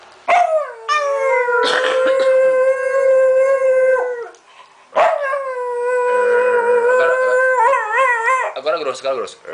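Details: Small 'talking' pet dog vocalizing with its owner in two long, sustained howl-like phrases, the second ending in wobbling, warbled yodel-like notes.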